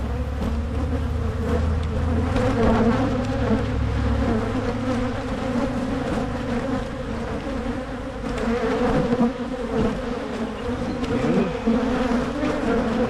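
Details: Honey bees humming around hives being split in Michigan as a swarm-prevention measure; constant layered buzzing, a low rumble fading after the first few seconds, and scattered clicks and taps from the hive work.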